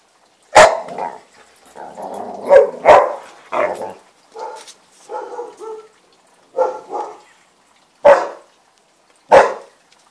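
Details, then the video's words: Newfypoo dog rolling around while barking: sharp loud barks spaced out over ten seconds, mixed with grumbling, throaty groans and mid-pitched whining vocal bursts between them, in a quiet room. "Newfypoo rolling n barking"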